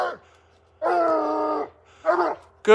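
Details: A Bluetick Coonhound that has treed a raccoon high up gives loud, drawn-out baying tree barks signalling quarry treed.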